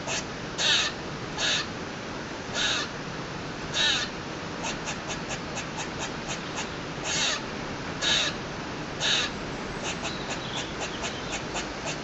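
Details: A squirrel on a balcony, its owner unsure why, gives loud, harsh, buzzy barks about a third of a second each at uneven intervals, with rapid dry chattering clicks between and after, over a steady background hiss.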